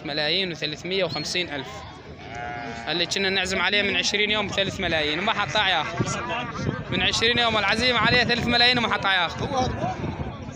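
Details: Sheep, including rams and white ewes, at a livestock market in Syria on 19 March 2023. Many animals bleat at once in dense, wavering, overlapping calls over constant crowd murmur and men's voices.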